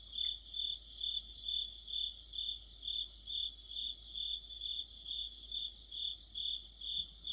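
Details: Cricket orchestra of autumn near a streetlight, joined by other insects; high, pulsing chirps repeating slightly over twice a second, even and continuous.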